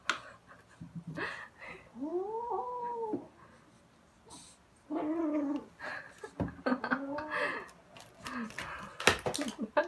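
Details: Two kittens playing with a fluffy toy, one carrying it in its mouth and running around, growling to keep hold of it: drawn-out wavering arched yowls with harmonics, broken by rustling, thumps and scuffling.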